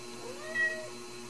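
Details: A Ragdoll kitten raised in a home cattery in central Kansas gives a single short, thin meow that rises then falls, over a steady low hum.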